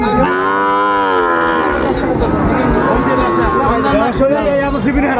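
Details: Sahiwal bull calves traded at the start of Ambari market in Dinajpur, Bangladesh, on 23 February; a sustained, even-pitched moo lasts about two seconds, then fades into male voices haggling.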